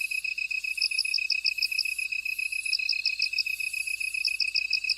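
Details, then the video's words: Field insects call together, one holding a continuous high pulsing trill and another adding rapid runs of sharp chirps in quick repeated groups, with a fainter shrill buzz overhead. "들판의 벌레들 우는 소리, Buzzing Bugs In Field"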